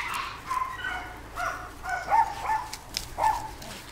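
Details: Jack Russell Terrier, two and a half years old, giving a string of short, high, tonal yips and whiny barks, roughly one each half second, some rising then falling, over a faint steady background hum.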